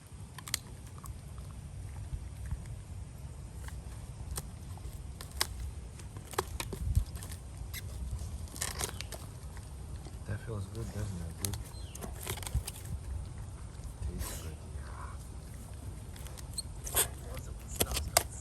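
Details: Hector, a one-year-old Rottweiler, gnaws a wooden log indoors: steady low crunching and grinding throughout, broken by sharp bite snaps and clicks, with a few brief puffing bursts toward the end.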